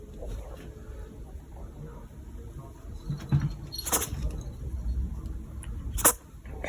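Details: Leo, a pet Siberian cat, sneezing indoors after pawing, biting and licking a spider plant; two sharp, explosive sneezes land roughly two seconds apart over a low, steady room rumble.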